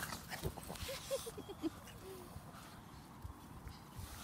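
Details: Brussels Griffon dog named Minnie outdoors in sunshine after snow in Belgium; a short run of soft, high whimpering notes in the first two seconds over low rumbling thumps and footstep-like noise.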